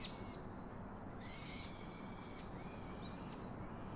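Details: Baby monkey calling to its father for a comforting hug: long, drawn-out, thin whining cries with a faint upper harmonic, about four in a row, each swelling then fading, over a constant outdoor hiss.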